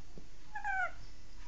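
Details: Baby Shih Tzu dog giving one thin, high whimper: a tonal whine that holds briefly and slides slightly downward over less than half a second, set against a steady low background hiss.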